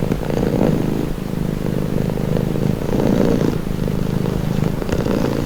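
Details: Pet cat purring calmly, a low throaty rattle with gentle swells in loudness every second or so, unbroken and close.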